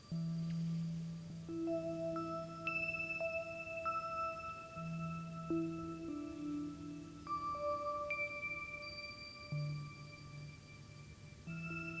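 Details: Gentle ringing chimes and mallet tones play sustained overlapping notes with a low hum beneath, and no animal is heard.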